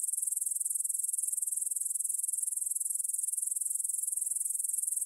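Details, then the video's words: ['Grasshoppers stridulating in a meadow near the Svensky monastery, Bryansk, Russia, at 9pm on 6 September 2020, recorded with a Tascam DR-44WL in stereo: a steady, very high-pitched shimmering trill of rapid even pulses, no other sounds.'] "кузнечики на лугу – Grasshopper Sounds in the Field"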